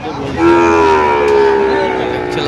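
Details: A single long, steady moo from a Sahiwal bull calf among calves bought by a Feni farmer in Bangladesh on 9 November 2025, held for about two seconds and dropping slightly at the end, with faint voices behind.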